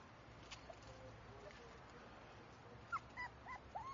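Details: Ryota, a black-and-tan male Shiba Inu puppy offered for sale, gives four short, high whimpers, each bending up then down, packed into the final second after a stretch of quiet indoor hiss.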